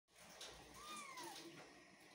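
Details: Persian cat indoors giving a single short meow, a clear harmonic tone that rises slightly and then slides downward over about half a second, heard quietly against a soft steady room hiss.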